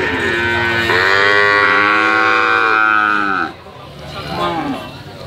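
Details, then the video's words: Single drawn-out calf moo lasting about two and a half seconds, rich harmonics rising then gently falling, followed by a quieter short bleat-like call near the end. "SUARA SAPI PEDET MERDU ( SUARA HEHAN )"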